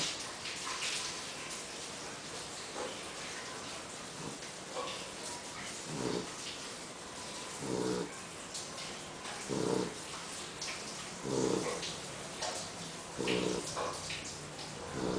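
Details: Poodle napping after a meal, snoring loudly indoors: broad rasping breaths repeated roughly every one and a half to two seconds, growing steadier and stronger toward the end.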